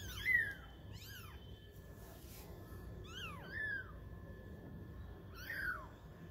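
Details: At twenty days old, kittens playing and trying to walk make five clear, high-pitched meows, each rising briefly then dropping, spaced unevenly over a quiet background.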